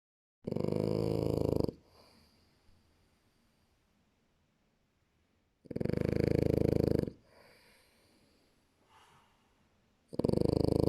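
A French Bulldog snores in loud, rasping bursts lasting over a second, separated by quiet pauses.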